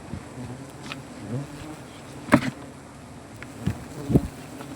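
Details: A low, continuous hum rises from honey bees at their comb in a banyan tree during honey harvesting, with sharp knocks and snaps of cutting scattered over the drone.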